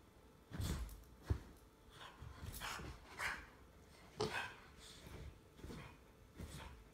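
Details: Jack Russell Terrier mix and English Bulldog play-fighting together; deep, low-pitched growls and gruff bark-like huffs come in separate bursts every second or so, with quieter rustling between them.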